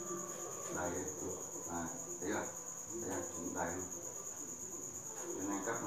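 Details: Crickets at the Thanh Bình cricket farm at 8 pm, where cricket eggs are still being collected for customers: a steady, high, unbroken chirring hum runs throughout, under murmuring voices and intermittent knocks.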